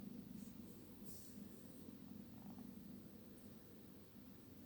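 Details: A 12-week-old kitten snoring in its sleep: an unbroken low buzzing rumble with a fast, fine pulsing texture and no other notable sounds.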